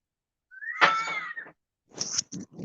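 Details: Fox calling loudly outside a window, right under it by a tree, heard indoors: one harsh, drawn-out scream lasting about a second, followed by people's voices.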